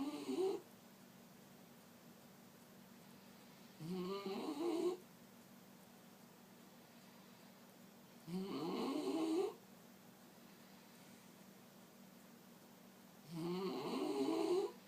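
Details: Sleeping Mexican hairless dog named Picasso snoring steadily: four rough, gurgling snores, each roughly a second long, repeated about every four to five seconds, separated by quiet breathing gaps and a low constant hum.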